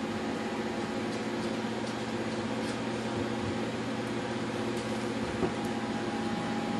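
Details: Continuous mechanical drone like a fan or air conditioner indoors, with a few faint ticks and no animal voices.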